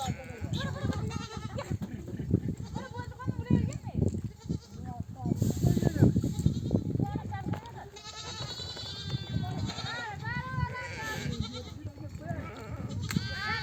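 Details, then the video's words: Ewes of a nomadic herd, home from desert pasture with oak trees, bleat for their lambs to come and nurse; repeated tremulous bleats from many sheep overlap throughout, with trampling and low background rumble. "The sound of mother sheep returning from the pasture to breastfeed her babies"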